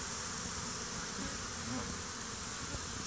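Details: Honey bees upset and fighting around a stump and beneath a hive with dead bees, after a swarm was combined with a colony; dense continuous buzzing hum filling the clip, with faint low rumbles.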